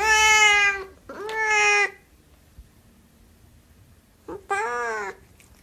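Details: Siamese cat meowing three times, two loud, bright meows close together at the start, then a pause before a third, slightly rising and falling meow.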